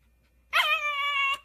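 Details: Siberian Husky giving a single high-pitched whine lasting under a second, opening sharply and then holding a steady, slightly nasal tone before cutting off, with a quiet background.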